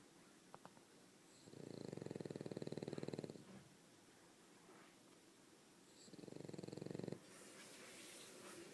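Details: Pet dog Umekichi, exhausted and sleeping deeply, lets out two long rasping snores, each a fast rattling buzz lasting a second or two, separated by a few seconds of soft breathing and room noise.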